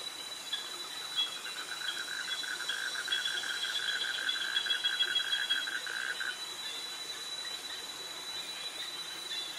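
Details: Cicadas in tropical jungle near mangroves in Krabi, Thailand, a pulsing mid-pitched buzz running for about five seconds over a steady high-pitched whine, with crickets in the background.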